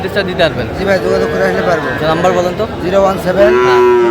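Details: Sahiwal bull calves at a cattle market in Chattogram, Bangladesh, on 4 August 2025: several low, droning moos overlap and hold steady, ending in a longer upward-sliding bellow, with faint crowd murmur behind.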